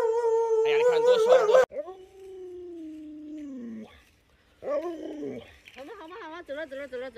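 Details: A household Alaskan Malamute named Lolo howls and 'talks' indoors: a loud wavering cry, then a long drawn-out tone sliding slowly downward, a pause, and a series of quick warbling, yodel-like bursts, with people chatting around it.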